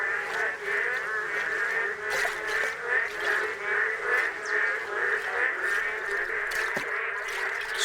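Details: Male boreal digging frogs at a freshly formed puddle on once-dry ground, Misari park, Korea, call persistently for mates in a dense chorus of nasal, duck-like croaks, two or three each second, overlapping into a steady throb.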